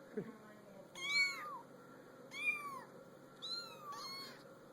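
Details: Kittens on a small pool table give high, thin meows, three short bursts about a second apart, each arching up and falling; faint low background hum.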